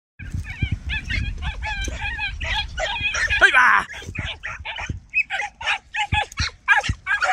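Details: Four young Podenco Andaluz hounds trail a rabbit at speed, a young female leading with nose up and the puppies following, giving rapid, high, yelping barks.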